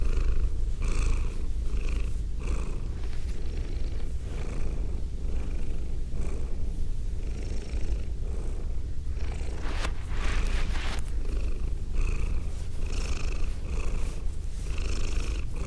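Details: A female domestic cat purring during close binaural recording: an unbroken deep rumble, overlaid with soft rhythmic brushing strokes roughly every second, like petting or licking, plus a brief louder rustle near the middle.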